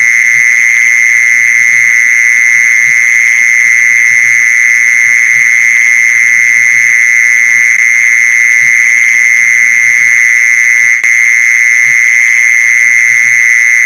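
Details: Mole cricket song used as a lure: a long, unwavering high-pitched buzz sustained without breaks, with one sharp tick partway through and quiet low rumbles.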